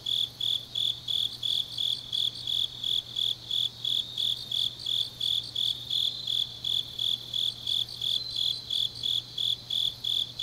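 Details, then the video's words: Grass insects on a deep autumn night in Changnyeong, South Gyeongsang, South Korea: a steady high chirping near 4k, pulsed about three times a second, with fainter overlapping callers and a faint low hum beneath. "깊은밤 가을 풀벌레 소리"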